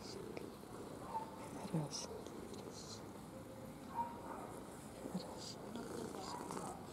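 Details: Ginger domestic cat purring indoors, a soft continuous low rumble running throughout, with a person speaking quietly in Russian and a few faint clicks and rustles.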